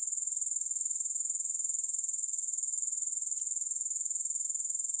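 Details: Unbroken grasshopper stridulation without music: a thin, very high buzzing trill of fast, evenly spaced pulses sustained at constant loudness throughout.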